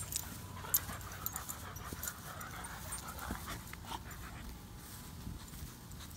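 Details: Boxer and German Shepherd, hot, tired and thirsty on a day over 100 degrees in Oklahoma, sharing water; soft rapid breathy panting, fairly quiet, with low rumbling background noise throughout.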